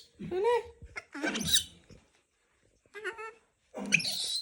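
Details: Young monkey screaming in harsh, rising-and-falling cries, four rough outbursts separated by brief pauses, the last one noisy and strained, with some indoor background sound.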